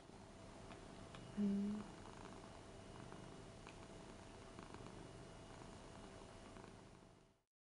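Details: Pet Ragdoll cat, seven years old, indoors after reacting to a printed cat on a T-shirt: soft continuous low purring, with a brief louder bump early on before fading out at the end.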